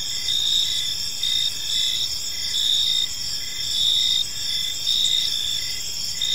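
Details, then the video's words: Crickets chirping in a peaceful park as evening unfolds: several steady, high, ringing trills layered together, with softer pulsed chirps roughly every second underneath. No birds, voices or other clear sounds stand out. "Cricket Sounds in a Peaceful Park"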